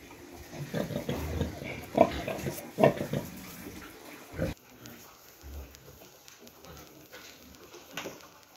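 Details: Penned pigs: a recently farrowed sow with piglets during the cold season, bedded on rice hulls with warming for the piglets. Several loud grunts and squeals come early, then quieter scattered grunts and rustling.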